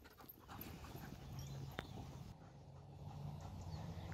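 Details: German Shepherd named Zeus, performing obedience cues such as down and sit, breathes in fast rhythmic pants, roughly three a second, with a low steady throaty hum beneath and a sharp click midway.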